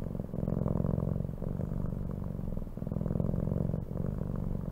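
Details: Domestic cat purring steadily, a low rumbling vibration in long breaths that swell and ease about every one and a half seconds, with no other sounds.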